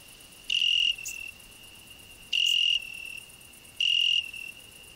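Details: Cricket song from a rose bush where a grasshopper also sings: a constant shrill trill punctuated by three louder buzzy bursts, about half a second each, recurring at intervals of one and a half to two seconds, plus one brief click.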